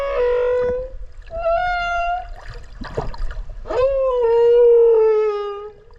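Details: Underwater whale voice captured near the animal while swimming off Okinawa: a series of sustained harmonic tones, level or gently falling, broken by short clicky bursts and faint bubbling water.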